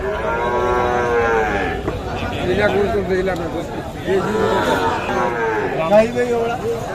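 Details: Sahiwal bull calves at the traditional Kaharol cattle market, Dinajpur district, Bangladesh, on 13 July 2024 during heavy rain; drawn-out harmonic moos, one early and more in the second half, overlap with traders' bargaining voices.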